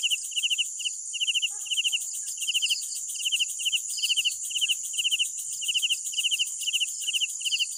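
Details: Crickets at night give sharp, high chirps grouped into short trills, separated by brief gaps, over a constant bright whine of a distant insect chorus.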